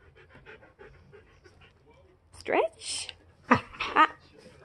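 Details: Siberian Huskies playing indoors, during a playful moment at home: soft sounds first, then a sharp rising whiny yelp, a brief breathy burst, and two short harmonic woo-like calls near the end, with Spanish speech around them.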